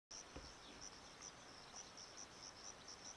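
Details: Chorus of Sciobia cf. caliendrum crickets, with a male in front of his burrow, at Zahara, Andalucia, Spain, on 17 May 2014: short, high, shrill chirps repeated roughly every half second over a steady hiss.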